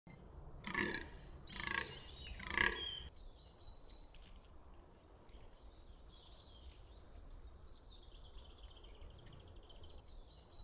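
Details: Fallow deer buck at Bolderwood in the New Forest: three hoarse, broad groans about a second apart, then faint distant bird calls over a quiet woodland background.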